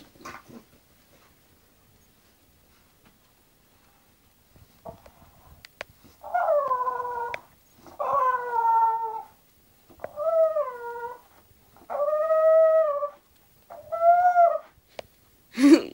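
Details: English bulldog Zenuś settling down to sleep: after a quiet start, five drawn-out tonal moans of about a second each, slightly bending in pitch and rich in overtones, come roughly every two seconds.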